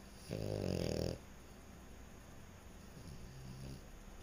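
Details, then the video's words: A sleeping French Bulldog gives one loud, buzzing snore lasting under a second, followed by a much fainter, softer breath near the end, with stillness in between. "Snoring French Bulldog"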